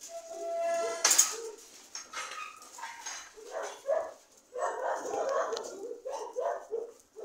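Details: Dogs barking and yelping in a rapid irregular series of short mid-pitched barks, opening with a high whining note before the barks pick up and continue densely to the end.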